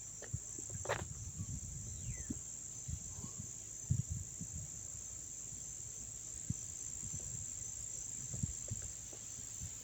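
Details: Chorus of crickets recorded up close at Dobbs Ferry, New York, September 9, 2024, giving a continuous shrill high trill over soft low rustling and scattered knocks from handling or footsteps.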